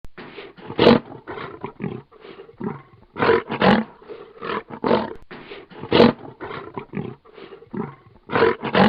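A lion growls in rough, rumbling bursts, each lasting under a second, with short pauses between.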